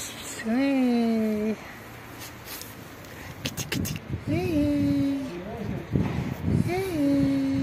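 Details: Pregnant black street cat that dislikes having her belly touched gives three drawn-out, steady meows about a second long each, separated by rustling and scratching sounds.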